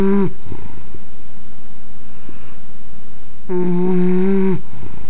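An English Bulldog snores with a low, droning, buzzy rumble that swells in long breaths.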